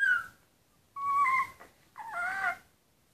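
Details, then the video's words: Rhodesian Ridgeback puppies three hours old, newborn and resting beside their mother indoors, giving three drawn-out high squealing whines, the middle and last ones wavering, each lasting about half a second with short quiet gaps between. "Rhodesian Ridgeback Puppies Day 1 - 3 hrs"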